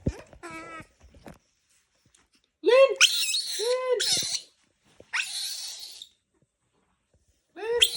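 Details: Baby monkey giving shrill, arching screams in short bursts, with a quick run of high squeaks at the start and a long two-part scream near the middle; quiet gaps between outbursts and a faint hiss.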